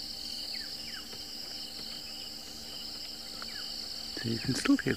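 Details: At sunrise on 10 March 2024 in Djuma Private Game Reserve, western Greater Kruger, South Africa, steady high trilling from several crickets runs throughout, with brief bird whistles and a man's voice near the end.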